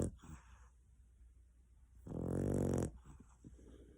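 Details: Sleeping pet dog snoring loudly, like a person, indoors in a small room; one long harsh rumbling snore with a buzzy, layered tone, preceded by quieter breathing and faint rustling.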